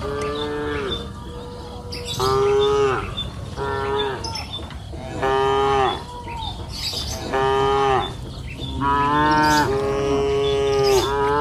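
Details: Several cows grazing on a green pasture hill in the afternoon moo in turn, each a drawn-out, harmonic-rich low call lasting about a second.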